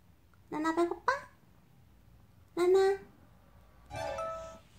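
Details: Pet cat Nana, a talkative young female, answers with a drawn-out "nya" meow when asked whether she is hungry; a woman's questioning voice comes first, then a steady, tonal meow near the end, indoors in a small room.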